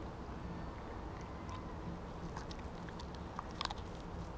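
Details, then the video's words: Siberian Husky named Kobi eating a whole raw mackerel in one go instead of his usual smaller chunks: soft wet chewing with scattered crunches, then a few sharp biting clicks near the end over a steady low indoor rumble. "Husky Eats Raw Fish! Sound On"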